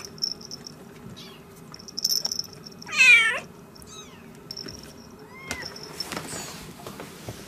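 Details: A high, wavering mew from a newborn kitten of a Siamese mother's first litter, born 3 December 2016, loud and harmonic near the middle, followed by softer, thin rising squeaks and faint high chirps.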